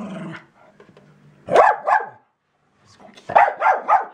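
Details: Female Jack Russell Terrier named Zippy Doo barking at a paper shredder: a low rumbling opening, then two sharp barks, a short pause and a rapid burst of three more loud barks.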